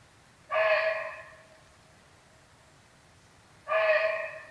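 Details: Alarm barks of a barking deer that has sensed a tiger nearby; two abrupt, hoarse calls roughly three seconds apart, strong onset then tapering off, little else audible.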